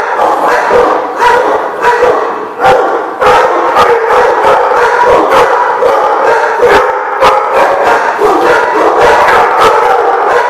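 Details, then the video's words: Group of dogs, recorded 2/6/15, barking nonstop in a loud overlapping din: sharp barks pile up about a hundred times a minute at an irregular pace, with occasional higher yips mixed in. "The Barking Lot"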